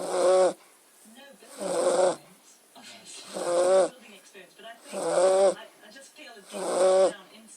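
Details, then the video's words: A sleeping Beagle snoring: five drawn-out, buzzy rasping breaths, each about half a second long and repeated roughly every one and a half seconds, with quiet pauses between them. "Beagle snoring"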